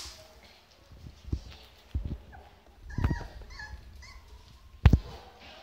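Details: Rottweiler puppies waiting for their owners whine in thin, wavering high notes between soft thumps and bumps.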